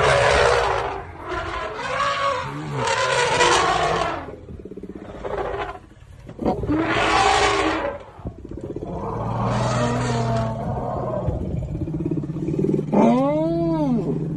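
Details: Elephant recorded during the birth of a calf: loud, harsh roaring bursts of several seconds each, separated by short pauses, closing with a rising-then-falling harmonic trumpet; a steady low engine-like drone runs underneath.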